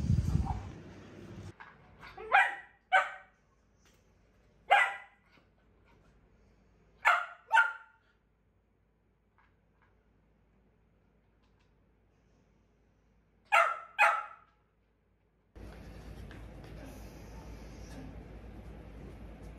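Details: Pet Corgi at home, barking while its owner works from home and it watches the road out front; sharp, bright barks come in quick pairs and triplets separated by silences, and a steady background hum starts near the end.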